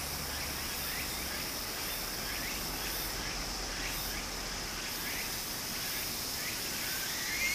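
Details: Japanese summer streamside scene with cicadas: a continuous high, hissing drone that briefly thins, with regularly repeated short rising chirps over the broad rush of the stream.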